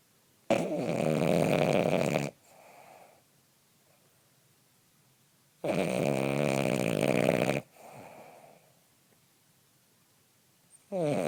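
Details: A male French Bulldog snores loudly in his usual sleeping noise during a morning cuddle, each long rattling inhale followed by a softer, brief exhale.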